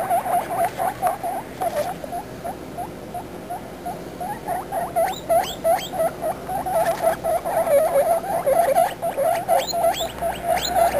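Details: Guinea pigs' babies talking: steady rapid squeaking around four calls a second, with bursts of high rising whistled squeaks mixed in at the middle and end.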